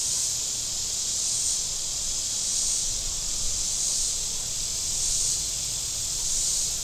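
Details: Cicadas on the shore of Table Rock Lake in southern Missouri on a very warm Saturday, with boats out on the lake: a steady, shrill, high buzz that swells and eases roughly every second, over a faint low rumble.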